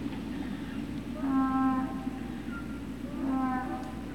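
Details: Great Dane puppy at Puppy Hill, recorded 03-06-2019 in the afternoon, lets out two drawn, tonal whines, each about half a second long, about two seconds apart, over a constant low background hum.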